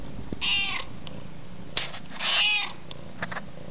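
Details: Domestic cat meowing twice, two clear, mid-pitched meows about two seconds apart, over the soft crackling and sharp snaps of a fire.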